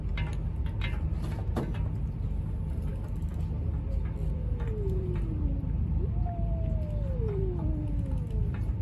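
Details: Stray cats on the street preparing to fight give strange, aggressive noises: long descending wailing yowls in the second half, sliding downward in pitch, over steady low rumbling traffic-like background noise.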